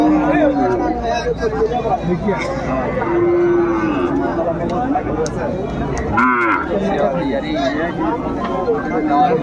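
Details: Bull calves at a busy cattle market, 30 June 2024: two short, flat, low moos, one at the start and one near the middle, almost buried under constant crowd noise and men talking about price and quality.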